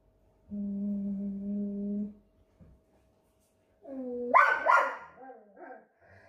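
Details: Aggressive Belgian Malinois: a steady low tonal growl-like moan lasting about a second and a half, a pause, then a rising whine breaking into a sharp bark with ragged following yelps.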